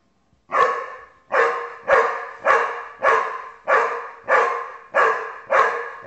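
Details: Basset Hound barking steadily, nine deep, resonant barks evenly spaced about every 0.6 seconds, each one sharp at the start and fading quickly, from a compilation of funny pet videos.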